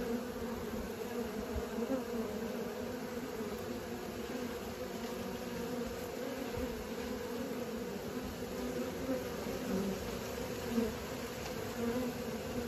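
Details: Young honey bees practising flight fill the air with a continuous buzzing drone, a smooth layered hum that swells slightly near the end, with a brief soft knock around eleven seconds.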